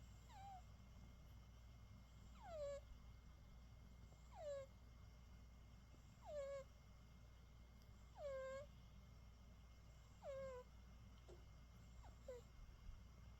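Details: Worn out from a full day of play, a sleeping British Shorthair cat snores in high, whistly downward squeaks, one per breath, roughly every two seconds, against a quiet low background hum.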